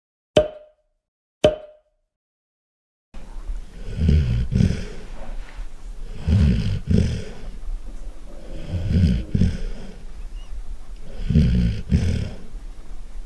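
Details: Golden Retriever snoring loudly in its sleep: two sharp clicks, a short silence, then four deep, rumbling, rasping snores roughly every two and a half seconds, with softer breathing between them.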